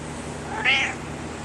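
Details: Kaiser the house cat recounting his day to his owner with one short, bright meow that swells and fades within half a second in a quiet room.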